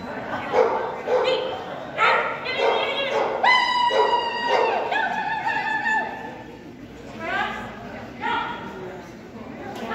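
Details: Strip, an agility Whippet, barking during a jumpers-with-weaves run: a string of high, ringing yips and barks, several long and harmonic, coming irregularly about twice a second, with human voices mixed in throughout.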